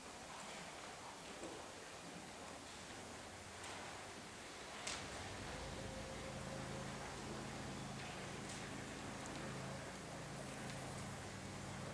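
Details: Steady outdoor rustling and hiss like leaves or light rain, with a low droning hum that grows louder after about five seconds and a few faint knocks.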